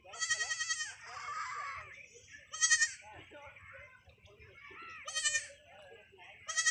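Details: Hungry goats wading into knee-deep water to feed give loud, wavering bleats near the start, around three seconds and again after five seconds, with a man talking and music in between.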